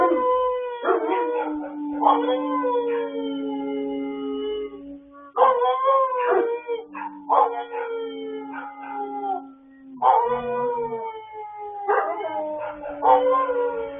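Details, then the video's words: Pet dogs singing late at night on 26 October 2022: several overlapping howls rise and fall in repeated phrases, with one steady low drawn-out tone held beneath, broken by brief gaps about every five seconds. "Late Night Singing Like A Don Giovanni Performance"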